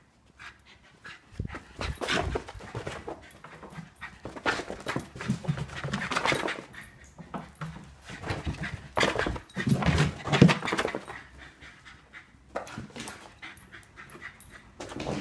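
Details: Left alone at home, a Scottish Terrier panics after his owner goes away, giving irregular rapid panting bursts about 86 per minute, breathy and broadband, with faint high whimpers and thuds of movement indoors.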